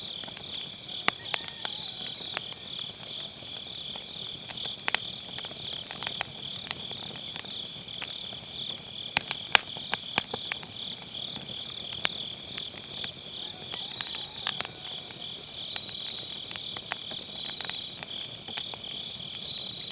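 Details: Grass insects on an autumn night, recorded beside a round fire pit campfire with a Sennheiser MKE600 using low cut: a steady high trilling chorus runs throughout, broken by frequent sharp crackles and pops of burning firewood.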